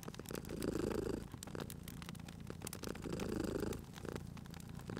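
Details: Sleeping cat purring at a fireplace: deep, steady rumbling pulses in slow cycles, each inhale-exhale swell about two seconds long, over a bed of crackling, popping firewood.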